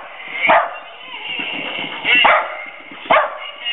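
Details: Havanese rescue dogs barking at a creepy green monster, their first barks heard by their owner: three sharp, high yips about a second apart, with a steady background hum and faint voices.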